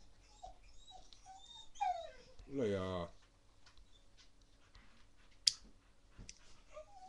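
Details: Baby Rottweiler puppy playing wildly during a mad five-minute session: a thin high whine, then a loud harmonic yelping growl lasting about a second, followed by a sharp knock and quiet background noise.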